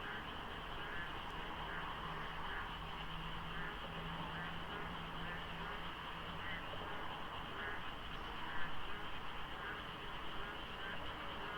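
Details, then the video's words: A predawn frog chorus in the rainy season beside the Deokso IC expressway interchange in South Korea, in light fog and sparse traffic. Countless croaks overlap into continuous rhythmic throbbing, with a low hum and a brief passing vehicle. "장마 중인 새벽 고속도로 덕소IC에 어둠을 가득 채운 개구리 소리"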